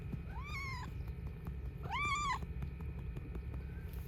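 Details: A female cat approaching someone chopping wood, meowing twice: clear, tonal, slightly rising-then-falling cries about a second apart over a steady low rumble of background noise.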